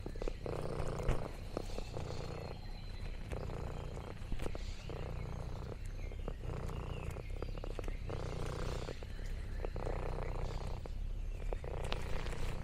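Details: Orange tabby cat Lexi purring contentedly during a farm day: a continuous throaty rumble pulsing in even breath cycles, accompanied by soft crackles and rustling leaves.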